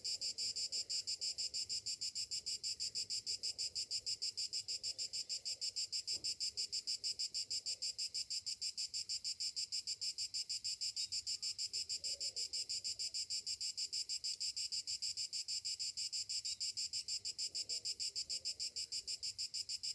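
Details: Cicadas singing on a summer morning: a loud, high, shimmering buzz pulsing steadily about three times a second for the whole stretch, with faint low murmurs in the background.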